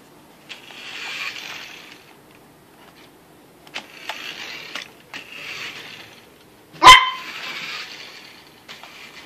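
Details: Yorkshire Terrier barking at a Yoshi RC car it dislikes; sharp high barks scattered among whirring toy-car motor noise, with one loud clattering bang near the end.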